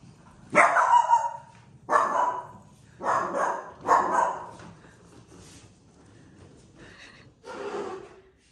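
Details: A Dachshund afraid of a suitcase gives a series of sharp, nervous barks, spaced a second or two apart.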